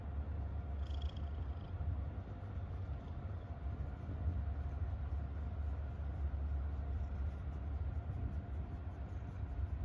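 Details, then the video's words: Happy domestic cat giving a low continuous purring rumble, steady and even across the clip, with one short faint higher breathy sound near the start. "A happy cat is a purring cat"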